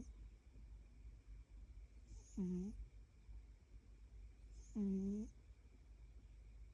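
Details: Cat snoring indoors: two voiced, humming snores with a clear tone and stacked overtones, each about half a second long and roughly two and a half seconds apart, over a low steady room hum.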